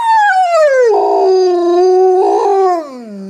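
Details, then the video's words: Pet dog Shadow, prompted to say I love you, lets out a smooth howl that slides downward, holds a level tone with two brief rough swells, then drops lower as it fades. "Wolf says i love you"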